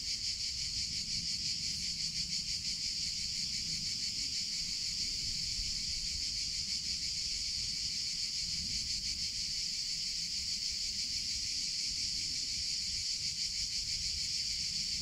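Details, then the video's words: Cicadas in summer (chicharra, campanero) give a dense, unbroken high buzz with a fine pulsing texture. It holds steady for the whole stretch over a low rumble of background noise. "CICADA SOUNDS - Sound Effect of Cicadas in Summer Sounds of Cicada (Chicharra, Campanero)"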